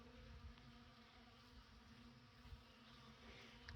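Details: Bees at a sunny outdoor winter feeder in December, eating honey and comb; a quiet, even droning hum that holds steady without pause.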